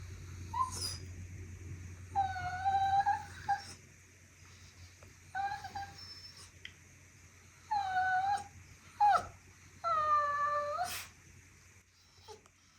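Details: A Bichon Frise named Byeol-i whines mournfully, hungry and asking for food, in a kettle-like tone: about five drawn-out, high, tonal whimpers, some wavering or bending downward, separated by short pauses, over a faint steady low hum.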